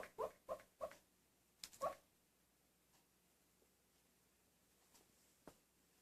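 An Italian Greyhound gives soft, muffled woofs in its sleep, then falls quiet.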